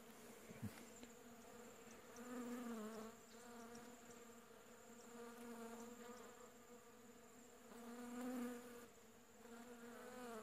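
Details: Kept honey bees crowding a blooming shrub for pollen in late July 2015, midwinter: dense humming drone that rises and falls as bees pass close, loudest around the middle and near the end, with a sharp click at the start.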